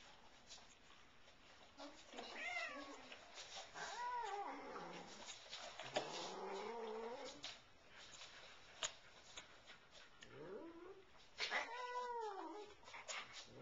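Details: A year-old cat chasing a bug indoors while German shepherds chase her lets out a series of drawn-out, wavering meows, rising then falling, spaced a second or two apart, with thumps and scuffling between.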